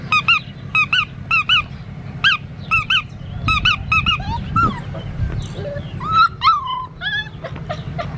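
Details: Black tri male Australian Shepherd puppy squealing in bursts of two or three sharp arched squeaks, then looser rising and falling whimpers, with a low hum and faint background noise underneath.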